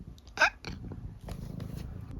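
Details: Eric, a talkative senior tabby mix cat living with his family in the UK, gives one short bright squeak chirp early on, followed by faint broadband rustles and a quiet low hum.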